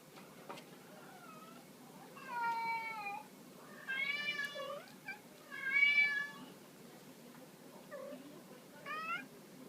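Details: Female shelter cats, an American Shorthair and a bicolor, during teaser-wand play indoors; four drawn-out, strongly harmonic meows, each about half a second to a second long, with a shorter rising mew at the close.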